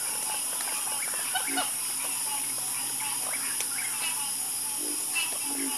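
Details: Frogs in a calming nighttime chorus: many soft, overlapping croaks and chirps blend into a continuous murmur, over a steady high-pitched buzzing drone.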